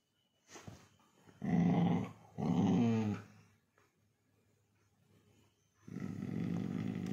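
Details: Labrador Retriever growling during play: two loud, rough, low growling bursts with a harmonic ring, each about a second long, then a pause and a longer, softer rumbling growl near the end.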